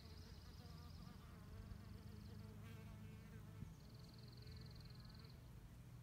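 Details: Low humming buzz of female mason bees gathering mud for nest building. The drone wavers in pitch and shifts around midway. Brief high, thin tonal notes sound above it.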